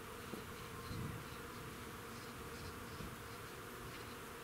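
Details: Many bees working a front-yard crab-apple tree: a dense, continuous buzzing drone with even low humming tones and no pauses.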